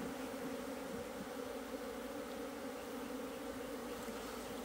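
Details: A colony of Asian honey bees in an opened hive, 26 September 2023, while its food comb is excavated. The bees give a continuous, even hum with a layered low drone and no breaks.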